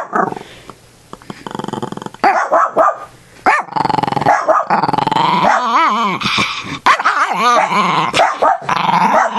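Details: A pet dog being teased in rough play by its owner growls, then gives rising and falling yelping barks in quick bursts, while a man talks and laughs over it.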